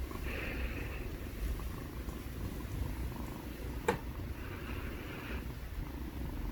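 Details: Two kittens purring together: a steady low rumbling purr throughout, with a soft breathy hiss swelling and fading twice and one brief sharp click near the middle.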